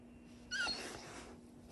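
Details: A female Husky puppy gives a brief, high, slightly falling howl in answer to her owner's voice heard over the phone.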